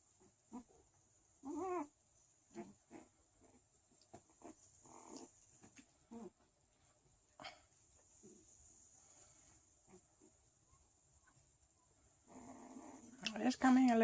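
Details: Thirteen-day-old Chow Chow puppies of a sixth litter at a small kennel in Sweden give short, squeaky whimpers and whines, some with a brief rising tone, scattered across the recording, with soft rustling and a louder burst of noise at the end.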